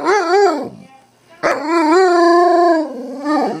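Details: Pet dog, called a wolf, prompted by its owner to say I love you, answering with a short wavering howl, then after a pause a longer drawn-out tonal yowl with rich harmonics that bends downward at the end.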